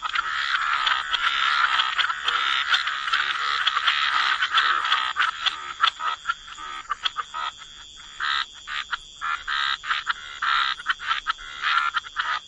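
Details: Waterside frogs croak together, a thick grating chorus at first that later splits into distinct clipped croaks spaced irregularly, nearly one a second, with a faint constant high ringing behind.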